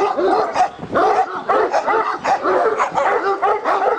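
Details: A dog, either a Turkish Malakli or a Korean Jindo, gives continuous wavering whines and yelps, its voice sliding up and down in short bursts.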